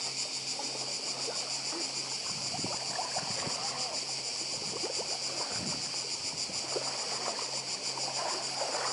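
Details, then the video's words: On Badija Island in Croatia, 2024, cicadas keep up a bright, shrill, pulsating drone while waves splash and gurgle nearby and a low hum runs underneath. "Cykady i szum morza w Chorwacji"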